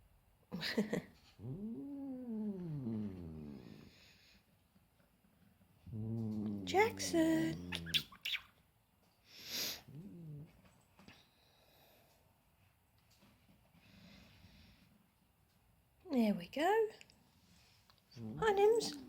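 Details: Cat meeting his little brother for the first time: scattered short rising-and-falling meows and brief yowls between quiet stretches, with a woman speaking softly and faint music.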